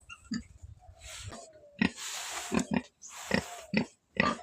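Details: A black pig giving short, deep grunts in sharp separate bursts, about seven within four seconds, with quieter rustling and a faint thin whine between them.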